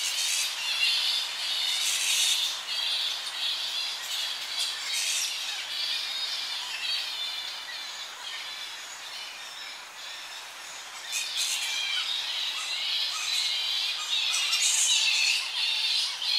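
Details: Squabbling young Tonga flying foxes in a colony at evening: rapid high-pitched shrill squeals and chatter in busy clusters, quieter in the middle, with a slight wind in the tree.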